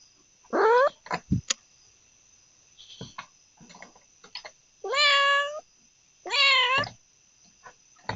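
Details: Domestic cat meowing three times: a short meow near the start, then two longer, drawn-out meows a second apart with rich harmonics that rise then fall. Scattered clicks and knocks fill the gaps over a steady high-pitched whine.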